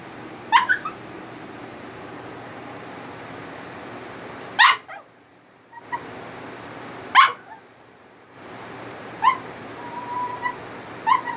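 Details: Italian Greyhound singing for attention: sharp high yips and short whines around a few seconds apart, some thin drawn-out whimpers between, against a steady low background hum.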